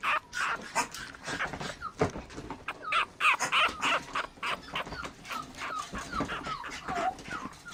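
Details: Female Toy Poodle puppy, red coat, born 24 December 2013 and expected to reach teacup size, giving thin, wavering high-pitched squeaks and whines in quick irregular bursts, some notes sliding upward.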